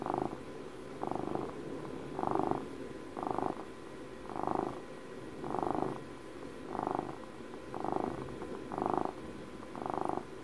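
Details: Close, intimate purring of a twelve-year-old domestic cat, ten even rumbling pulses about once a second, steady low vibration rising on each breath over a faint indoor hum.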